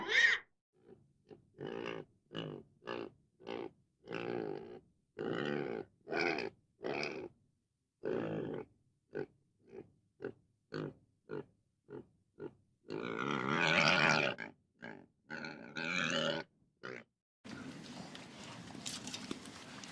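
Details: Pig giving a long run of short, harsh grunting calls spaced about half a second apart, with a louder drawn-out squeal near the thirteenth second and a burst of broad rushing noise closing the recording.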